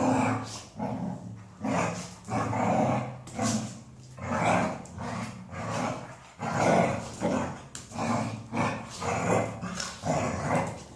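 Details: Female Golden Retriever producing continuous growly, talkative grumbles, rhythmic rumbling pulses repeated about once a second with short dips in between.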